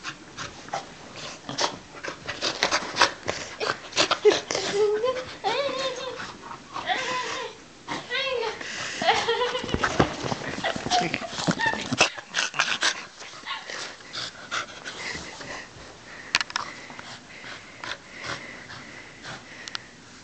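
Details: Welsh Corgi welcoming its owners indoors with warbling, wavering whines and yodel-like vocal sounds, bursts of excited calls over several seconds, mixed with people talking and moving about.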